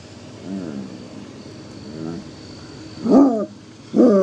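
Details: Droopy, a five-year-old Basset Hound, which only howls like this at the train: soft drawn-out whining notes, then two short, louder howl bursts near the end over a low background hum.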